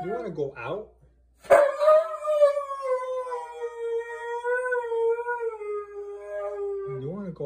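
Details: Siberian Husky, being dramatic, lets out a sustained howl lasting about five seconds that sags gently downward with slight wobbles. Short warbling yodels bracket it at the start and end.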